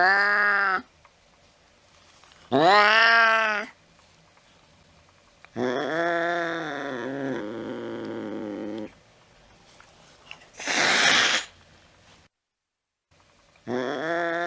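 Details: Cat in a late-night chase after a mouse: short arching meows, a long wavering growl-yowl of several seconds, a harsh broadband hiss, then another meow, with brief quiet gaps between.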